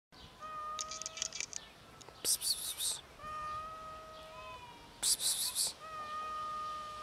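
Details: Hungry cats, often met by the recorder, give three long, steady, even-pitched meows spaced through the clip, broken by sharp rustling or clattering bursts.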